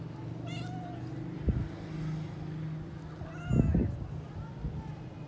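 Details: Thirsty domestic cat searching for water, looking frustrated, gives a short meow early on and another later, with bumps and low steady background hum.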